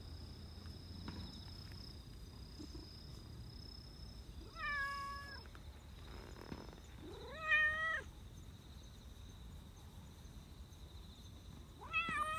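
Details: A black Persian cat living in a park gives three drawn-out, rising and falling meows spaced a few seconds apart, rubbing against someone and happy despite an angry-looking face.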